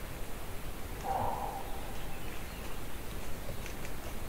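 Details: A moose captured while hunting, 200 to 800 feet away with no wind, gives one short, mid-pitched moan lasting about half a second, followed by quiet hiss.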